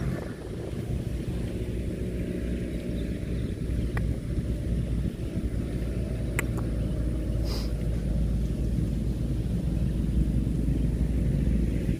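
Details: A steady low engine-like rumble with a few faint clicks, and no animal voices.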